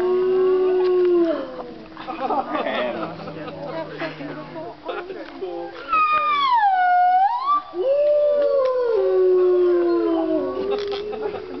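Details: Midday howling from wolves kept at the Colorado Wolf and Wildlife Center: a low steady howl, then a clear high howl that slides down and rises again, with other wavering voices and yips around it.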